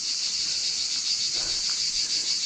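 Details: Wild cicadas that have settled in one particular roadside tree in Sudak, Crimea, in summer 2024, calling loudly as someone walks past: a continuous, shrill, high-pitched pulsing drone with faint background noise.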